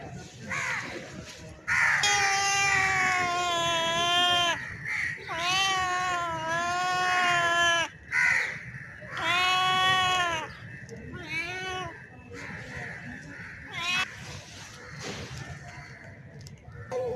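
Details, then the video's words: Bengal-looking male street cat calling a female in heat with a series of loud, tonal yowls, each one to two and a half seconds long, bending up and down in pitch, followed by shorter, breaking cries and quieter stretches. "Male Cat in Heat Sound | Male Cat Calling Female | Male Cat Mating Call Sound Effect"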